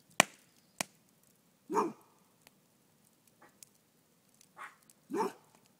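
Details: Jeta, a Rhodesian Ridgeback, alerts her household that something is not quite right, a cat being nearby; two short, harmonic barks a few seconds apart, with sharp clicks and knocks between them in a quiet room.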